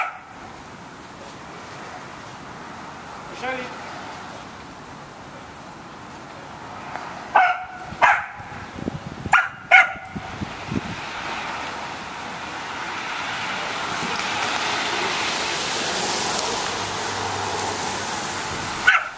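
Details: Corgi named Machete playing soccer in a yard, chasing a ball with Aragorn; a cluster of sharp barks around the middle amid steady background hiss, with human speech and faint rustling elsewhere.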